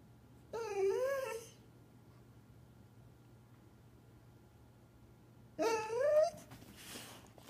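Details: Two-year-old golden retriever indoors, ready to go to its owners' parents' house: two drawn-out, wavering whines, each about a second long, rising and falling, separated by a four-second pause, with a quiet room hum.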